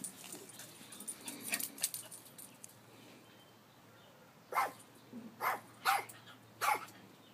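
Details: Chihuahua rat terrier guarding a house in Palm Springs, urged on by its owner; a few soft, scattered sounds early on, then four sharp barks spaced roughly half a second to a second apart, with a faint steady hum in the background.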